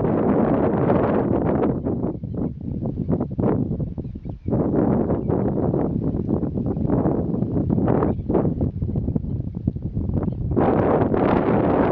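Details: Steady buffeting wind rumble and rustling fill the recording, with no clear bird calls standing out.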